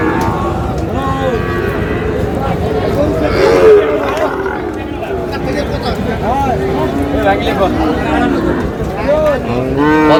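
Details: Sahiwal bull calves at a crowded cattle market, with a Comilla farmer buying, 24 May: several arching, bending moos, some short and some longer, sound over a steady hum of talking people.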